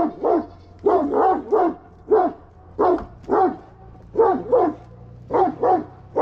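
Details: Kangal dog behaving aggressively, giving loud, hoarse barks mostly in pairs and triplets, repeated steadily through the clip over a low background drone.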